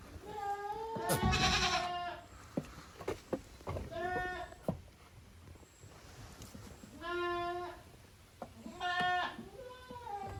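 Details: Young goats, the kids of Koharu and Okayu, playing in two teams on the exercise ground of a handmade goat farm in Japan on 13 June 2023; several wavering, nasal bleats in bursts, some rising, with thumps and faint human voices.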